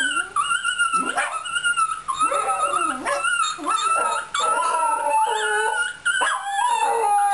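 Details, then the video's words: Fox Terrier singing with quavering, mid-pitched howls that rise into steady tones and dip again. Short gasps separate the phrases. "Singing Fox Terrier"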